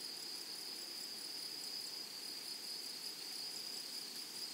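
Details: Many grasshoppers in a flowery meadow produce a bright, sustained, high trill-like hum at a fixed pitch, with a faint upper ringing tone and gentle background hiss throughout.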